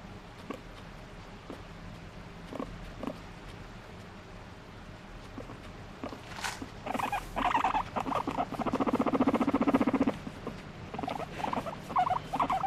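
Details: Pet guinea pig vocalising while demanding to be petted, squirming with excitement: scattered soft rustles and taps, then a loud buzzy pulsed rumble lasting about three seconds, followed by shorter choppy bursts.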